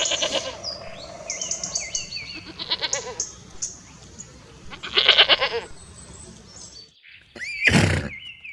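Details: Goat bleating in two short, quavering, wavering bursts, one at the very start and another around midway, separated by thin high chirps and whistles, with a sharp loud burst near the end.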